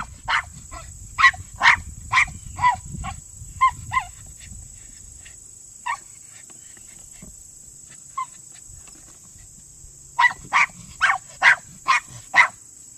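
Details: Male Miniature Pinscher barking from underground during a Senior Earthdog leg: a rapid run of sharp yaps, then a near-quiet stretch with one or two isolated barks, then another fast volley; a steady high whine and faint low rumble underneath.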